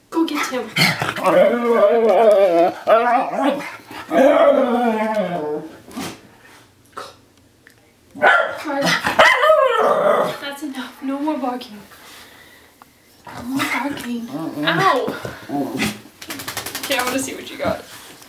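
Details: Miniature Schnauzer worked up after a bath; long bursts of loud throaty barking mixed with growling, wavering whines and yaps, separated by short pauses, with people talking and laughing.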